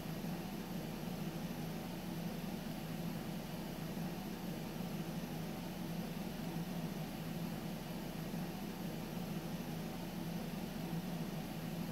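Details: Steady, even hiss and engine-like drone fill the whole stretch without change, with no animal sounds.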